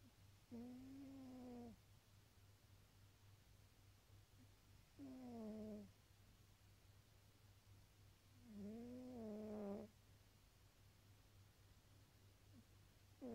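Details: Tabby cat snoring: three drawn-out nasal, whistly tones about four seconds apart, each lasting around a second, with a faint steady hum underneath.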